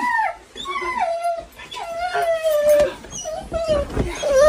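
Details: Golden Retriever that does not want to go to preschool howls and moans in repeated falling, wavering notes, each about a second long, with a person's voice and rustling in the background.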